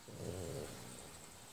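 A sleeping French Bulldog lets out a low, rumbling grunt lasting about half a second.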